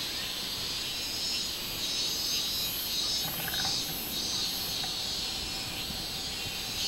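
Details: Robust cicada song recorded 24 July 2016, a continuous piercing high buzz with rhythmic throbbing pulses near the top, about 97 per minute, plus a brief faint lower tone midway.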